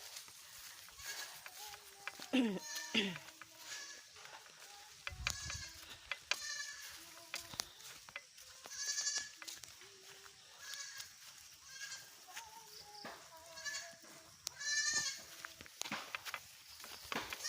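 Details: Hungry, excited goats following their herder: a chorus of repeated wavering bleats from several animals, some high and strained, others lower and shorter, with occasional clatter and thumps throughout.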